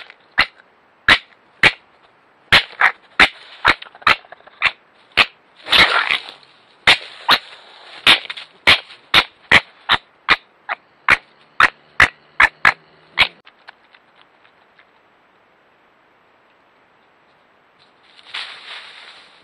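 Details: Young red fox cub in Ireland, filmed at night by a trail camera while trying to push a badger off its weekly feeding spot; sharp, clicky calls repeated roughly every half second, with a short harsh burst near six seconds, then quiet and a final rustle.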